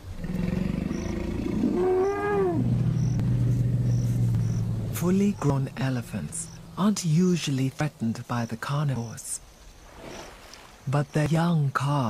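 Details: Lion of the Luangwa pride, wild: a deep, drawn-out moaning roar that swells and rises in pitch before fading over about five seconds, followed by a man's narration over faint background music.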